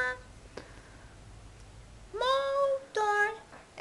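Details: Sleepy puppy named Phoenyx, too tired while being coaxed indoors to 'talk'. After quiet room noise, it gives two short, tonal, whining cries with strong overtones: the first drawn out and slightly rising, the second briefer. Dutch speech is heard around it.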